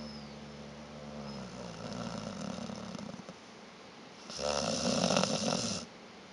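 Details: Vita the dog snoring in her sleep: a low, fluttering, vibrating inhale that trails off, a pause, then a louder harsh, rasping snore of about a second and a half in a quiet indoor setting.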